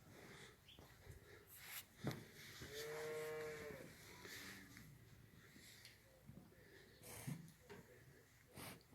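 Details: Heifers aged six to nine months, six for sale in Afyonkarahisar, Turkey; one drawn-out tonal moo of about a second, harmonic-rich, amid clicks, knocks and barn clatter.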